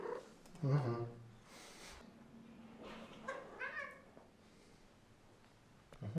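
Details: Domestic cat greeting its owner as they come home from work, indoors: a short, quiet harmonic meow near the start, then a second rising-and-falling meow about three seconds in, with soft low background rumble between calls.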